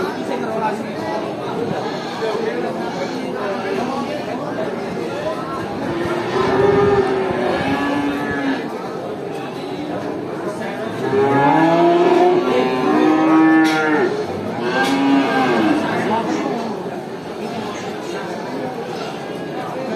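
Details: Cattle at a traditional animal market, a busy herd mooing: scattered overlapping lowing calls, rising and falling moos clustered in the middle and toward the end, with human chatter and crowd noise underneath.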